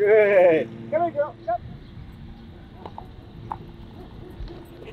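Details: Nine-day-old German Shepherd puppies with their mother Christi: a loud wavering whine opens, followed by a few shorter squeals, then quiet shuffling and a low background hum.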